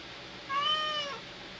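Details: ['A neutered male house cat that loves his toy monkey gives a single drawn-out meow, clear and tonal, rising then falling, about 0.7 seconds long, in a quiet indoor room.']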